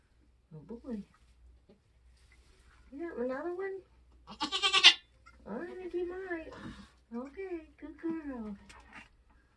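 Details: Kidding-season birth of Nigerian Dwarf goats on a homestead: short wavering bleats alternate with a loud hoarse cry and people's voices in a quiet indoor space.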